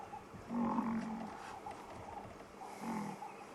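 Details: Two African buffalo squabbling in an argy-bargy at Buffelshoek dam around sunset give two deep, drawn-out, moo-like grunts over a soft hum; the call's meaning is unknown to the observer.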